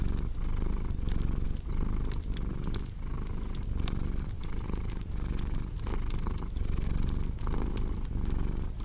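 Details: Soft, rumbling cat purr with regular swells in step with breathing, accompanied by intermittent crackle and pop of a fireplace.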